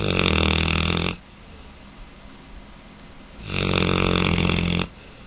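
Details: Nico, a Mastiff puppy, snoring while asleep: two long, loud, rasping snores about a second each, separated by a quiet pause of around two seconds.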